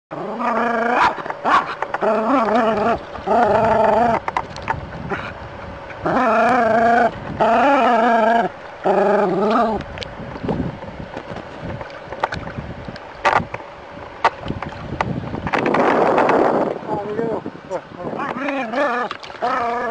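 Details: A dog confronting a snake gives long, wavering, tonal cries of about a second each. They come in close bursts through the first half, then turn sparser and choppier, with a noisy scuffle midway.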